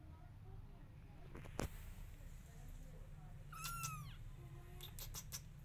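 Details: Calling for her kittens to follow, the mother cat gives a single bright, slightly descending meow midway. Soft knocks and clatter come before and after, over low rumbling background noise.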